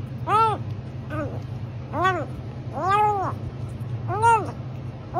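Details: Domestic cat meowing five times in about five seconds, each meow a clear tone that rises and then falls, spaced roughly a second apart, over a steady low hum.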